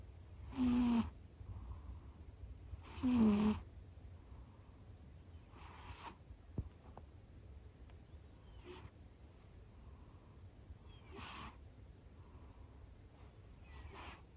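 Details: Domestic cat snoring loudly soon after falling asleep at home: breathy, rasping snores with a low rough buzz, repeating about every two and a half seconds, quiet between breaths.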